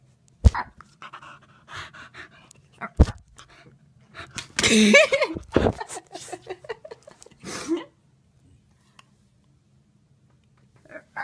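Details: Glen of Imaal Terrier named Kiwi, indoors, reacting to an M&M face phone cover: a breathy, noisy burst of panting about a second long in mid-clip, among scattered short snuffly sounds and a person talking, then quiet.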